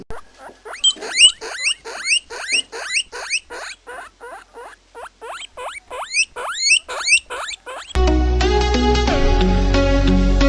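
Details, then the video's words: Guinea pig giving a rapid run of loud, high, rising squealing whistles, repeated more than twice a second for about eight seconds before music takes over at the end. "COMO INDENTIFICAR O SOM DO PORQUINHO DA INDIA... SIGNIFICADO DOS SONS!!"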